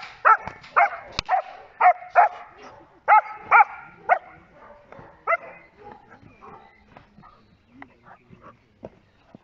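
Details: Protection-trained Giant Schnauzer Blackmoore Enchantress in Schutzdienst work: a run of hard, ringing barks in the first half, fading to softer, scattered yelps, with a sharp knock near the start.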